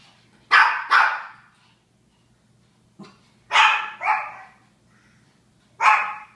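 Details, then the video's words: Japanese Chins barking in doubled bursts: a quick pair, a short pause, another pair, then a single bark, over a faint background hum. "Barking Japanese Chins"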